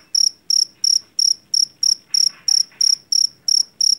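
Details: Javanese field cricket caught in a rice field, noted for its loud voice, producing shrill, high chirps about three per second, each a short burst of quick pulses, steady and regular over quiet background hiss.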